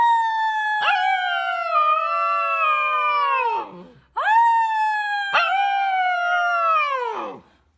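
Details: Dog howling: two long drawn-out howls, each about three and a half seconds, starting high with a sharp onset, then sliding slowly downward before trailing off, with a short gap between them.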